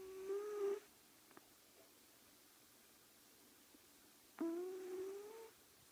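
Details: Sleeping cat snoring: two drawn-out, whistling nasal tones, each under a second, steady then slightly rising, about four seconds apart in a quiet indoor room.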